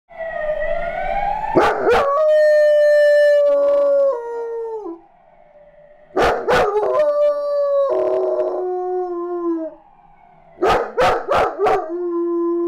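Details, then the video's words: A German Shepherd puppy howls on hearing a police car siren, giving long, wavering howls that sag in pitch, broken by sharp yips. "German Shepherd Puppy: Hero Howls"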